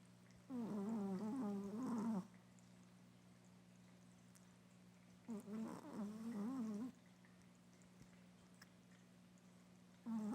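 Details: A sleeping Chihuahua indoors snores in long wavering, nasal breaths lasting under two seconds each, roughly five seconds apart, over a constant low electrical hum in a quiet room.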